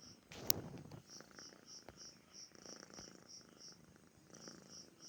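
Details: A domestic cat, content and comfortable, purring in soft rhythmic swells with each breath; a sharp click near the start, and a cricket's high, evenly spaced chirps running steadily behind.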